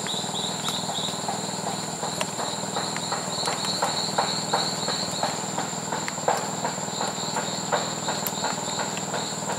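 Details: Strawberry poison frog in the wild in Costa Rica or Panama: short trains of rapid, buzzy pulsed notes at mid-high pitch, set against a steady high insect drone and scattered clattering and rustling sounds.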